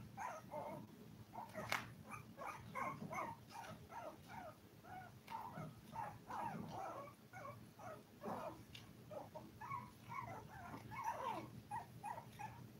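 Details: Seven five-week-old Toy Poodle puppies squeal and whimper almost without pause: high, wavering cries overlap, several each second, with a few sharper yips and a low steady hum underneath.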